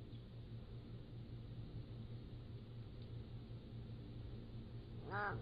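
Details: Pallas's cat kittens, 3 to 7 weeks old, recorded by a motion-activated trail camera. A single short harmonic mew near the end first rises, then falls, over a steady low hum.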